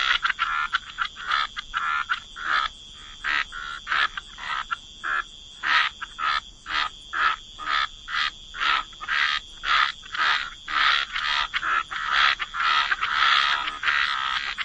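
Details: Frogs croaking in a chorus by the water, short broadband croaks repeated about twice a second with uneven spacing, overlapping callers and a steady high tone running underneath.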